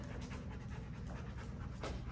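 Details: A 13-month-old Golden Retriever in Virginia pants during a dog training session: rhythmic, breathy bursts of noise over a steady low rumble, with no clear voices in between.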